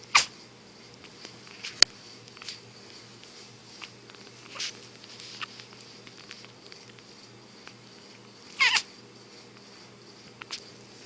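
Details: Kittens sneezing: several short, sharp, explosive bursts, the loudest near the start and another pair late on, separated by quiet stretches with a faint steady hum in the background.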